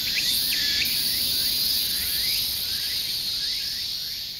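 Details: Insects in a steady, shrill high-pitched buzzing chorus, with faint short bird chirps rising and falling at the start.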